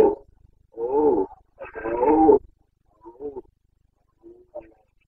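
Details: Carpathian red deer stag, rut in the Bucovina mountains, 29 September 2022, giving a sequence of deep, moaning roars: two long drawn-out bellows, then shorter, fading grunting calls trailing off.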